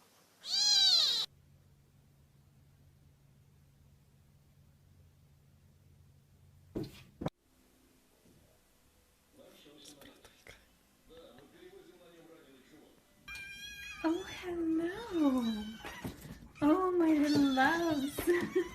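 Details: Tiny kitten, a viral cute-cat moment: short high meow at the start, then quiet low rumbling, and from about 13 seconds a run of wavering, repeated meows while a woman coos softly over it.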